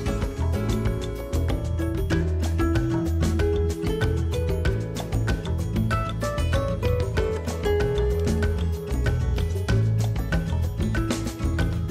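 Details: Steady instrumental music with a deep bass beat plays throughout, and no animal voice can be heard.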